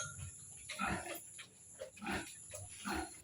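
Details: A sow grunting: three or four low, rough, nasal grunts in short bursts about a second apart, with a faint steady high hum in the background.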